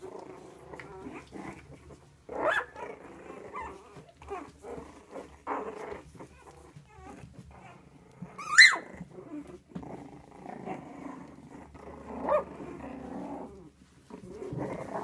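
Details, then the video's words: Havanese puppies making scattered soft growls and grumbles, broken by a few sharper yapping bursts, one standing out loudly midway, with quiet gaps between the noises. "Havanese puppies"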